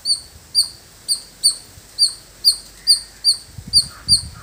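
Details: Squirrel in a village giving repeated shrill chirps at a fairly even pace, about two a second, with faint low rustling and handling noise near the end.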